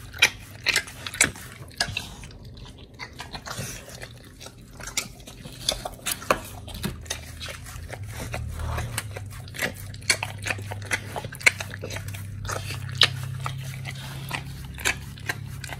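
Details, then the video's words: Oli the pit bull tearing into raw fish and steak, recorded August 4, 2023. Sharp crunches and bites arrive in scattered bursts, with a soft low hum underneath and quieter gaps between the bites. "Oli The Pit Bull eats🥩🐟🌱RAW FISH&STEAK [ASMR] MUKBANG 犬が生の肉を食べる [咀嚼音]"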